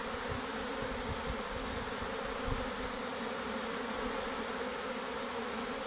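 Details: Honey bee workers abandoning their beehive, a queen said to leave as well; a steady, dense swarm hum with a low droning band, continuous throughout, with faint low thumps near the start.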